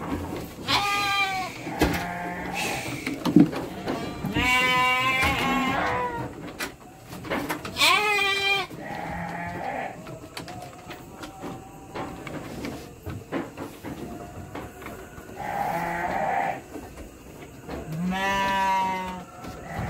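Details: Three-month-old Garut lambs in transit to Purwakarta, Indonesia, bleat repeatedly. The bleats are loud, buzzy and wavering, some long and some clipped, and come irregularly over twenty seconds amid clatter, handling noise and a constant high hiss.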